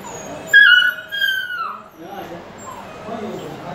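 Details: Single drawn-out whine from a Dogo Argentino puppy, high and piercing, sliding slowly downward for over a second before fading, with soft voices and room noise behind.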